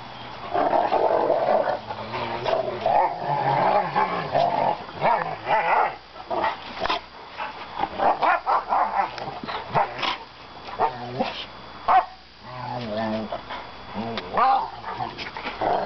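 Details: Rottweilers irritating each other growl in long, rough, rumbling bursts with occasional sharper yaps.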